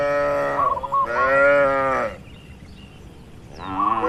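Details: Calm, tame cattle in a farm pen; two full, resonant moos in quick succession, then a quiet pause before another moo begins.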